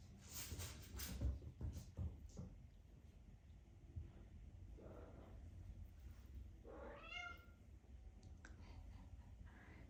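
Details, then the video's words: Ellie, a Maine Coon mother cat in SE Michigan, talks to her six-week-old kittens: soft short chirps early on, then one clear rising-falling harmonic meow near the end, with low rumbling handling noise and faint human voices. "Mom cat talking to kittens"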